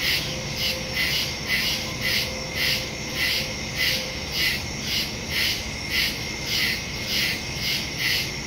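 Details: Night chorus of crickets in woodland, captured September 2, 2023 using a Samsung Galaxy S22 Ultra and Shure MV88+ stereo mic: bright, high trilled pulses come in a fairly even rhythm, roughly two each second, with a faint low background rumble.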